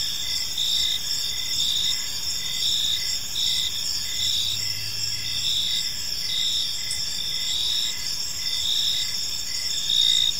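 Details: Evening in a quiet park, with several crickets trilling together: bright high pulsing bands that swell and fade in short phrases, a dense continuous chorus over soft low ambient noise.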